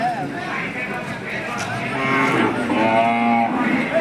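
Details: Hallikar cattle at the KG temple cattle market in India, 24 November 2025; a drawn-out harmonic moo rises near the end amid loud crowd chatter and talk about prices.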